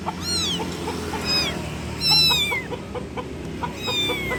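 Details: Kitten calling its mother with loud, high, arching meows. Several calls, some short and some drawn out and falling, come in bursts over a steady low background hum.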